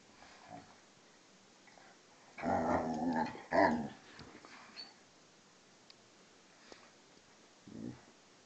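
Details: Two dogs, a vizsla and a pointer named Tarkas and Noonoos, wrestling in play; a rough, throaty growling burst in the middle, followed by a brief low grumble near the end over quiet room noise.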